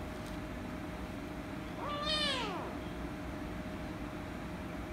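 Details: A female rescue kitten, angry and meowing loudly when petted, gives a single drawn-out meow of about one second that rises then falls in an arch, with rich harmonics, over a steady low background hum.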